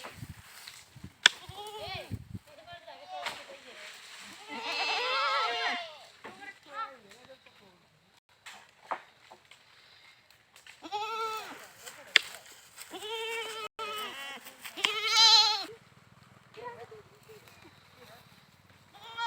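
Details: Goats bleating at intervals, with tremulous, wavering cries around five, eleven and fifteen seconds, separated by quieter stretches with faint clicks and rustling.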